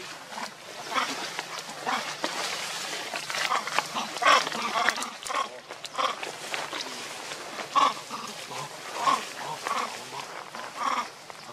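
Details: Young monkeys play fighting around baby monkey Lucie, giving harsh, broadband squeals and screeches in irregular bursts, with a few short tonal chirps near the middle and end, amid steady rustling background noise.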